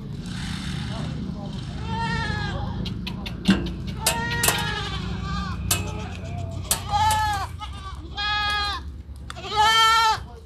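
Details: Repeated quavering bleats from Sirohi goats at a goat farm in Pushkar, Rajasthan, some long and some clipped, mixed with sharp clicks and knocks over a low background hum.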